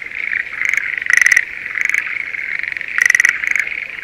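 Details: Schlegel's green tree frog in the spring breeding season, rice paddy near Sendai, Japan. Two loud pulsed rattling calls stand out about two seconds apart, with softer calls between them and a dense frog chorus behind.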